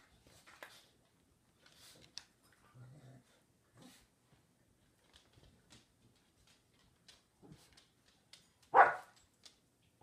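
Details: Two dogs, a Westie and a Samoyed named Mya and Willow, in friendly play on a lazy afternoon indoors: a brief low growl, soft scuffling and panting, then one loud sharp bark near the end.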